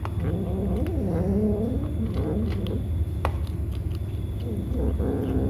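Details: Feeding kittens battling over food. Low-pitched, wobbling calls swoop up and down almost continuously, with a sharp tick partway through, all over a steady rumbling hum.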